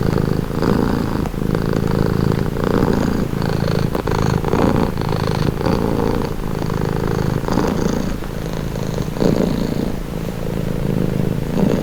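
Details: A cat purrs close up, a dense low vibrating rumble with rhythmic breathing swells, faint slight rustles now and then, otherwise uninterrupted.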